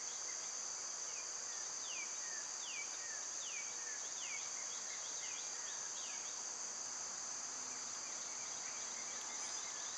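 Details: High, continuous summer cicada drone, loud and unvarying, with a bird repeating a descending slurred note about every half second over the first half.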